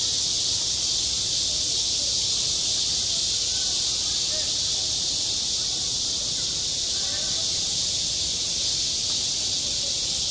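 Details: A summer school playground rings with cicada song, a loud, steady, sizzling drone held high and level throughout, never pausing; only faint murmuring sounds show beneath it.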